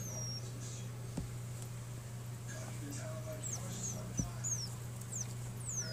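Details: Gerbils interacting for the first time give brief, high-pitched squeaks, some sliding up and others down, over a steady low electrical hum.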